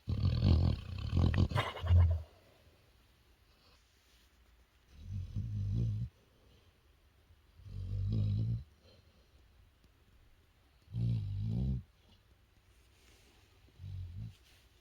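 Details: Sleeping dog snoring loudly while napping: deep, rumbling snorts in bursts of about one second, spaced roughly every three seconds, with quiet pauses between.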